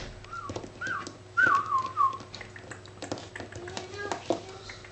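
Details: Seven-week-old Labrador Retriever puppy playing: a run of short, high, thin whines, each bending up then sliding down, four or five within two seconds, followed by clicks, scuffling and a faint lower drawn-out tone.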